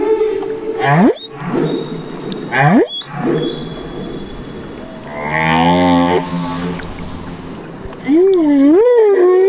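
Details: Humpback whale, a baby, in Banderas Bay, Mexico: rising upswept calls, then a wavering, warbling tone that rises and falls, with a steady hiss of water noise.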